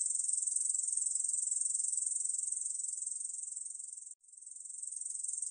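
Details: Korean bush cricket producing a high, pulsing, sizzling buzz that slowly softens, stops for a split second near the end, then resumes and swells again.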